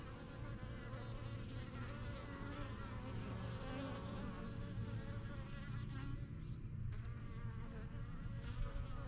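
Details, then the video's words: Honey bees coming and going at a strong yellow backyard hive begun in spring 2023; constant low droning buzz of many wings, a short quieter dip near the seventh second before the hum swells again. "BUSY BEE HIVE AMBIENCE"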